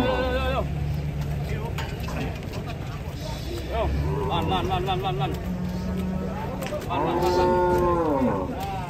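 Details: Amid busy handling noise and clatter as cattle leave a truck, a brief higher moo appears early, and a clear arching moo sounds near the end.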